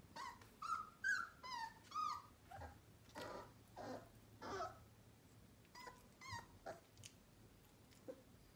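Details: Whining Sheepadoodle puppy, one month old, in a litter born in April 2020: high squeaky whimpers, some wavering, others short and sliding, repeated roughly twice a second in uneven bursts, faint rustling between calls.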